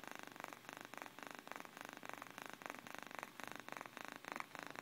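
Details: Domestic cat purring while asleep indoors, a soft steady rasp pulsing in quick, even bursts about four times a second, quiet and close, with no other sounds.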